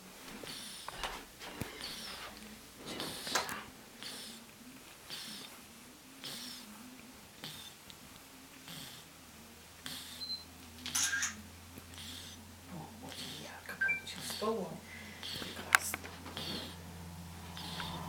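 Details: Ryjik, a plump ginger cat, snores in its sleep like a person: rasping breathy pulses with a few snort-like bursts, less even in timing, and a steady low electrical hum in the second half.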